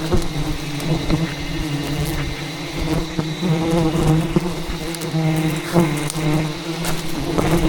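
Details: Angry wild bees attack as a hidden jungle beehive is cut for honey, their massed buzzing a steady low drone with shifting, wobbling tones rising and falling over scattered taps and crackles.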